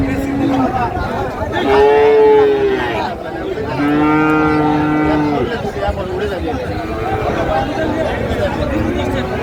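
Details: At Raniganj livestock market, Dinajpur, on 9 February 2025, Friesian and crossbred heifer calves give repeated moos. Two strong rich-toned moos come about two seconds apart, then softer lowing follows, under steady crowd noise and talking.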